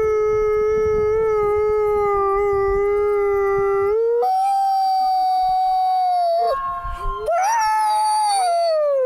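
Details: Wolf at the Wolf Conservation Center in South Salem, New York, giving a long steady howl, then a higher sustained howl that wavers and falls at the end; the signal is loud and clipped, with low rumble beneath.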